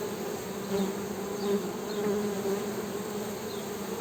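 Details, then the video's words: Western honey bee hum, a steady buzzy drone that rises slightly in loudness in brief swells, with faint high chirps overhead. "HONEY BEE'S HUMMING SOUND"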